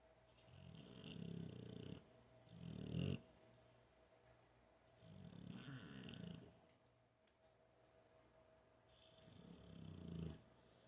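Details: Sleeping American Bulldog, a large male, snores on his couch outside a studio, captured six feet away with no microphone: four deep, rasping snore bursts about every two to three seconds, quiet gaps between, faint steady hum.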